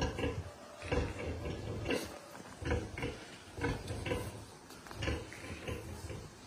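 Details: Pietrain pig grunting steadily, short low grunts repeated roughly once a second in an even rhythm, with faint background hiss.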